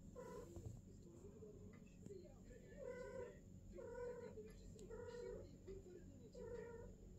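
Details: Female cat on her first mating, golden British longhair and silver British shorthair present; five rough, wavering caterwauls, each under a second, come in an irregular series over a low electrical hum.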